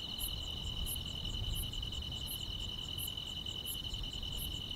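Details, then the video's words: Continuous buzzing trill of grass insects at night in summer, punctuated by seven crisp high chirps at a fairly even pace over soft low-frequency hum. "여름밤의 포근한 풀벌레 소리"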